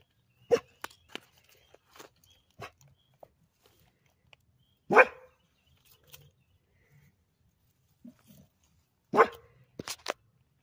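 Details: Labrador Retriever Toby, trying to swim, gives three separate sharp barks about four seconds apart, with light clicks and splashing sounds between them.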